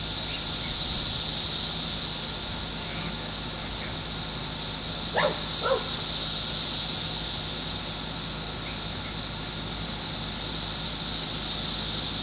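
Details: Constant singing of 17-year Brood X cicadas in Fairfield, Ohio on June 5, 2021, in a residential area next to woods; a continuous high buzzing chorus, interrupted midway by two short barks of a dog in the distance.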